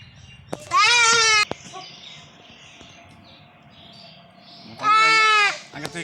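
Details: Castrated goat with a stone-blocked urinary tract bleats twice, four seconds apart, in short quavering cries over soft background murmur and faint clicks.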